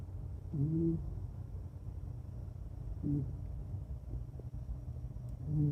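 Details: Soft, low snores from Ebisu, a sleeping female red long-haired Kaninchen dachshund and former rescue dog; three quiet nasal rumbles a few seconds apart against a steady low background hum.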